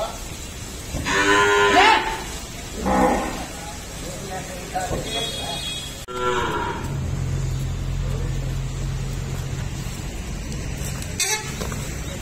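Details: At an Indian dairy farm, a pregnant Jafarabadi milking buffalo in her ninth month moos three times in short bursts. A low engine rumble sets in midway and continues to the end.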